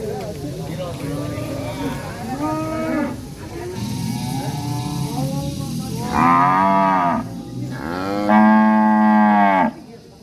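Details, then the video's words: Angry cattle in a village setting, bellowing: several rising-and-falling moos, the last two long, loud and rich in harmonics, with fainter moos from other cattle in the background. "SUARA SAPI NGAMUK LUCU DAN MERDU SUASANA DESA"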